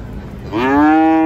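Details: A single loud moo from cattle coming down off a truck at an Indonesian traditional market. It begins after a quiet half-second, rises slightly, then holds steady and strong to the end.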